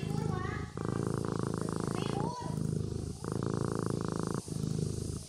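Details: Sleeping kitten purring: a steady low rumbling pulse in long cycles of about two seconds, broken by short breath pauses, with faint higher tonal squeaks drifting over the top early on.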